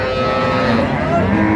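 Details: Cow with calf at Ambari cattle market in Dinajpur, Bangladesh, on 17 October 2025: a brief, steady, even-pitched moo held throughout, over a dense wash of market crowd noise.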